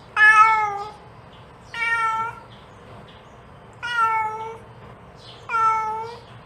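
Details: Mother cat calling her kitten: four loud, clear meows, each slightly falling at the end, evenly spaced about every two seconds, with only faint hum between them.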